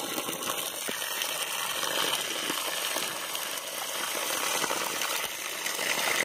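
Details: Continuous gushing, hissing water-like noise with faint rattles, without any animal voice.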